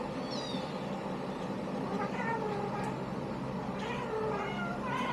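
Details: Kittens from a litter meowing repeatedly, with thin, high, wavering cries, some overlapping, over a constant droning background hum.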